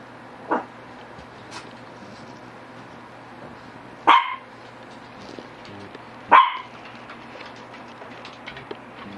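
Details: Shih Tzu dogs GGung and SSong; three short, sharp barks at irregular gaps across about nine seconds, each a brief bright burst, over a steady low indoor hum.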